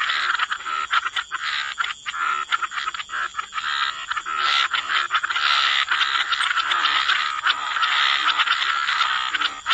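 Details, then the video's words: Gentle wetland chorus of frogs at the waterside, many croaks blending into a steady rasping drone, with a few sharper calls standing out early on. "Relax to the Sound of Croaking Frogs"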